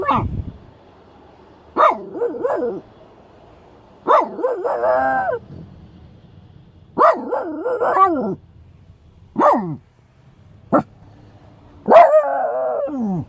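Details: Shiba Inu unhappy with a stranger walking too close to the car, giving sharp barks that trail into wavering, whine-like tails, repeated roughly every two to three seconds.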